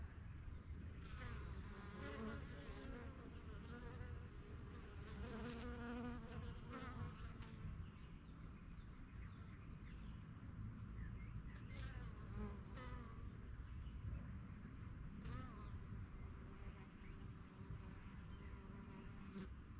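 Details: Busy honey bees come and go at a yellow backyard hive, newly set up in spring 2023 and settling into the area. Softer layered buzzing rises and falls throughout, with faint clicks and scattered brief chirps.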